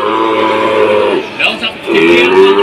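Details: Cattle lowing at a cattle market in Jatirogo, Tuban, during a price slump blamed on foot-and-mouth disease; a drawn-out, harmonically rich moo, a brief break with voices, then a second sustained low bellow, with background music.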